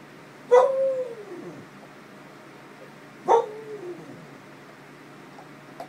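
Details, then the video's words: Female Clumber Spaniel voicing her thoughts, perhaps about an earlier bath: two woo-woo calls about three seconds apart, each a sharp onset sliding down into a long falling moan, with quiet room background between. "Woo wooing Clumber"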